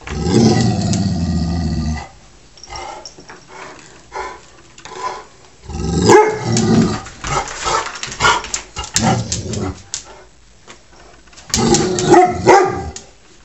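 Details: Pet dog Taz, picking on the household cat Sky and acting tough in a routine squabble, lets out rough bursts of growling and barking in three loud spells with quieter scuffling between them.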